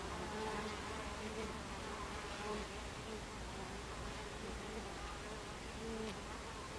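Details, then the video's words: Buckfast bees coming and going at their hive entrance, afternoon of 26 July 2013; short low buzzes flicker in and out every second or so above a constant colony drone. "Beehive Entrance Buckfast Bees"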